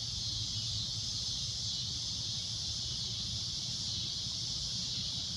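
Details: Cicada at sunset producing a loud, piercing continuous drone, even in intensity from start to finish, with a soft low-frequency rumble in the background.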